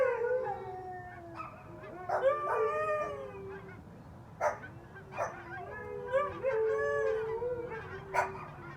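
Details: Four Siberian Huskies together with a Pomeranian, several voices overlapping in wavering, sliding howls and yips, some rising and falling, with short sharp yelps breaking in every second or so over steady low background noise.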